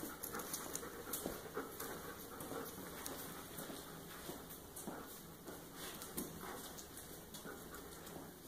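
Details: Standard Poodle named Jordie panting indoors: a steady run of soft, breathy huffs with quick, fairly even spacing, set against a constant low hiss of background noise and a few light taps.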